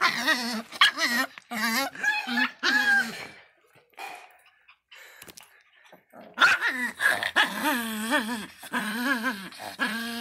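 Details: A hostile Miniature Pinscher fires off a quick series of harsh, wavering barks. After a quiet few seconds, a second vigorous volley of rapid yapping follows.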